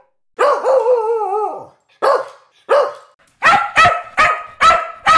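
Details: Guard dog defending its owner, opening with a long wavering whine-howl that slides downward, then two separate sharp barks, followed by five loud, evenly spaced ringing barks in quick succession.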